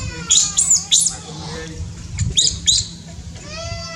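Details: Newborn baby monkey in Cambodia, born high in tall trees: loud shrill squeals in quick bursts, then descending whistled coos with clear overtones, over a steady low electrical hum.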